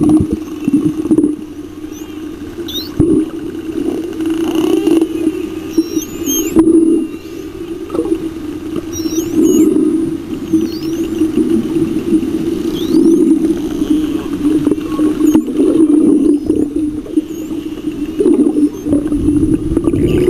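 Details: A superpod of spotted dolphins bubble-net hunting in a giant baitball of lanternfish off Osa, pelagic Costa Rica, gives high, sweeping, looping whistles over a steady low underwater hum.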